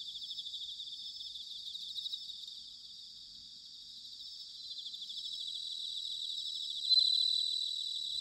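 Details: Recorded in autumn at Sanuki, Chiba, Japan: bell crickets fill the air with high, shimmering ringing, fast pulsed trills fading in the middle and returning, with a sudden louder clear tone near the seventh second.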